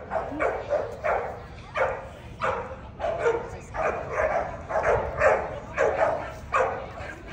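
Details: American Pit Bull Terrier at the 2024 ADBA Tristate conformation dog show, 12–18 month female class: steady run of sharp, mid-pitched barks, roughly two per second, with faint crowd murmur underneath.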